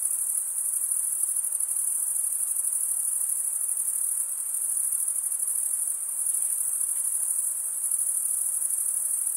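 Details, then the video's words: Stridulating crickets produce an unbroken high-pitched, finely pulsed trill, even and steady for the whole stretch, over a quiet diffuse hiss and nothing else. "cricket sound"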